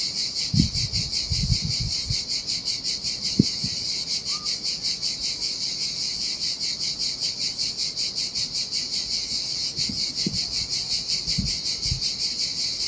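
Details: Cicadas singing in the summer heat beside the sea on a desolate Sardinia beach: a dense, continuous high buzzing chorus pulsing rapidly and steadily throughout, with low soft thumps of surf and splashing water underneath.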